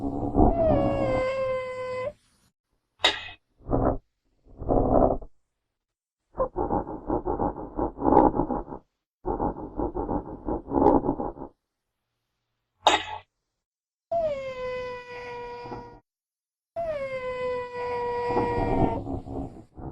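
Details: Wild genet in natural habitat giving long, falling mew-like calls with strong overtones. Between them come rough, grating noise bursts and a couple of sharp clicks, with quiet gaps.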